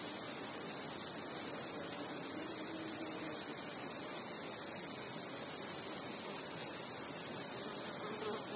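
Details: Crickets calling at night, many overlapping high-pitched trills merging into one constant, finely beating shrill band with no pauses.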